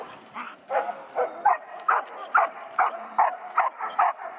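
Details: Seven-month-old male Echo, a dog in early bitework training, barks steadily about every half second, each bark short and punchy with a bright, slightly hoarse tone, the rhythm fairly even throughout.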